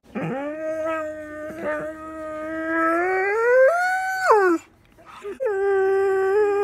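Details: A four-year-old male borzoi howling with its owner during a morning chat; a long, steady, tonal howl that slowly rises and swoops higher before dropping off, a short break, then another sustained lower howl.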